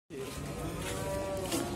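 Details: Cattle at the Muntilan livestock market in Magelang in the morning: a brief, steady tonal moo held for about half a second, over a dense, noisy market background.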